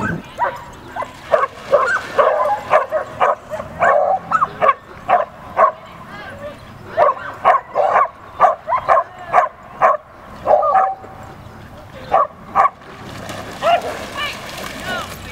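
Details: Female Samoyed defending her brother against another dog, giving a long run of clipped, fairly high barks at about two per second, uneven in spacing, easing off near the end.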